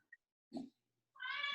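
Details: Male domestic cat meowing indoors because he wants to go outside; after a brief soft sound, one drawn-out harmonic meow begins near the end and is cut off.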